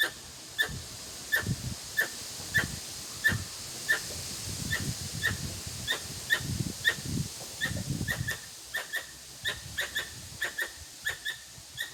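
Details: A Formosan squirrel in a neighbourhood park in Yokohama, Japan, on June 13 gives sharp, clicking chucks, repeated steadily about every half second.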